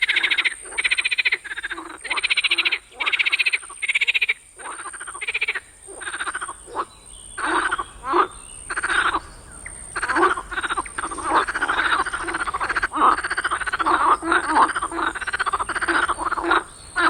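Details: A chorus of frogs calls in a swamp at night, giving loud, harsh, rapidly pulsed calls in quick bursts that overlap into a near-continuous din.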